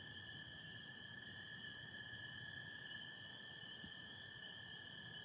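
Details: Massed spring peepers calling with American toads on an April 2025 night in Michigan, stars and some cloud: constant high peeping merged into one steady tone, plus an even lower-pitched toad trill, with no breaks across the clip.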